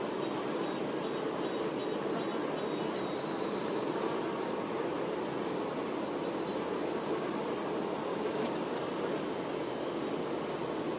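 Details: Continuous humming buzz of many honey bee workers tending their queen, steady in level, with soft, quick, high-pitched chirping pulses scattered over the first half.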